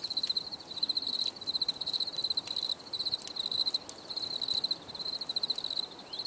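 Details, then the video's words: Crickets heard for relaxation, giving high pulsed trills in short bursts with brief pauses between them, alongside a few faint clicks and a low background hiss. "Les grillons || Bruit de Grillons"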